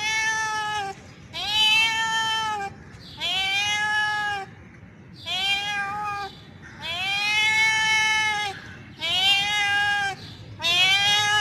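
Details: Male cat in heat, vocal to draw a female's attention for mating, repeats long, loud, wailing meows about every one and a half seconds, seven calls in steady succession.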